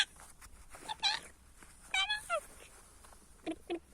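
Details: Kangal puppies in a village, giving high-pitched whines and yelps, one sliding downward, in short scattered bursts with quiet gaps and some faint voices around.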